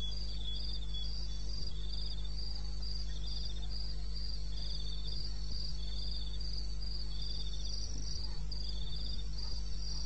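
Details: Wilderness crickets of eastern Botswana calling in the small hours, 2:30 a.m. on 21 May, their shrill chirps grouped into rhythmic bursts about three per second, two pitches interleaving above a low steady hum.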